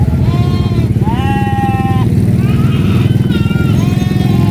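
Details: Goat screaming on a farm, loud wavering bleats with strong harmonics, one long rising-then-flat cry near the middle and shorter calls after, over a heavy low engine-like rumble throughout.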